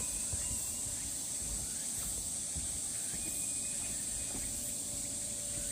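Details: Summer cicada drone on the Deogeumsan Solbaram-gil forest trail, Namwon, Korea, 16 August 2019: an unbroken, hissing high-pitched buzz filling the air, a few faint bird chirps barely audible below it.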